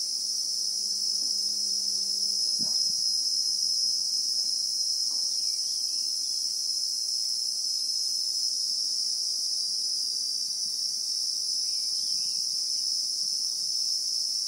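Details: Christmas beetles (Anoplognathus) in South African bushveld with acacia trees, recorded in real time: a steady, dense high-pitched shrill drone without pause, with a brief faint low hum near the start.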